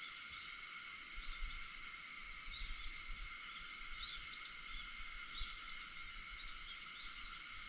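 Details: Dawn cicada song at 4:50 a.m. on August 4, heard as an unbroken shrill hiss in layered high bands, even in loudness throughout, with a few soft chirping notes scattered across it.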